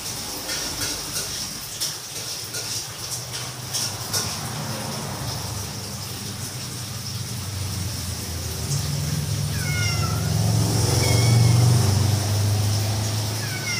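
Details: Domestic cats playing together while talking, giving a few short, falling meows near the end, heard over a steady low hum and some background rumble.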